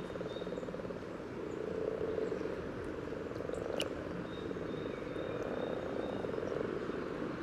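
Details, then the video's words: Common frogs calling at their spawning site near the yellow trail, Sunnersta, Uppsala, Sweden, parabolic recording: soft, steady low purring chorus with a single sharp click midway and a faint thin high tone in the background. "Spelande vanlig groda"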